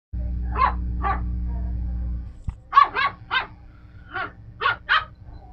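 A Miniature Pinscher gives sharp, high, yappy barks, singly and in quick pairs and triplets.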